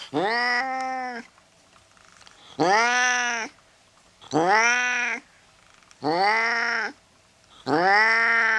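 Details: Angry cat uttering five loud, rich meowing wails at roughly two-second intervals, each arching up then down in pitch, in a quiet indoor setting.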